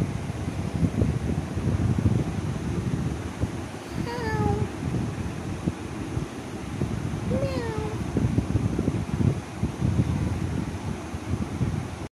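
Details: White cat meowing twice, about three and a half seconds apart. Each meow is drawn out and falls slightly in pitch, set against heavy, constant low rumbling noise.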